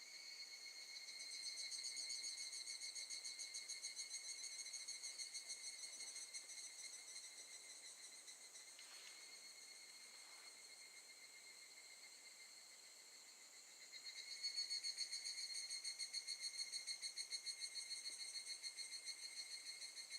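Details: At Gakujin no Mori campground, Tokushima, Japan, August 2018, evening cicadas fill the air with pulsed, bell-like ringing. The chorus dips and thins near the middle, then returns louder for the final seconds.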